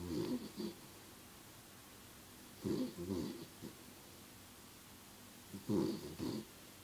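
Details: A 13-year-old small pet dog snoring while having a bad dream: three rough, rasping snores, each a double puff, coming about every three seconds with quiet breathing pauses between.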